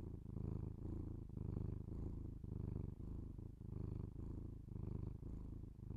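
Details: Pet cat purring close to binaural microphones indoors, a deep buzzing rumble rising and falling in regular breath cycles roughly every second, steady and uninterrupted.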